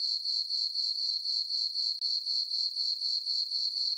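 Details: Full-moon summer night on a farm meadow, crickets chirping: a bright, piercing trill pulsing steadily roughly four times per second, with one brief dip midway and no other sounds.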